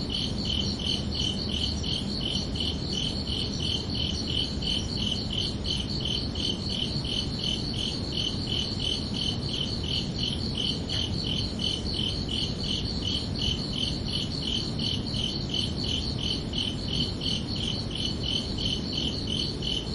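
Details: Night chorus of crickets on a summer evening, a constant high-pitched pulsing chirp repeated about three times per second without pause, with a faint low hum beneath.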